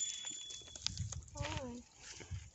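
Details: Goat from a herd brought together for a summer 2021 reunion gives one short, wavering bleat that slides downward, with a woman talking softly to the animals just before.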